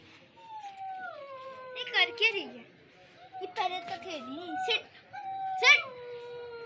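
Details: Siberian Husky puppies indoors in Lahore, Pakistan, giving drawn-out howls that slide downward, two or three long wavering cries with short sharp yelps between, while a woman talks to them in Hindi.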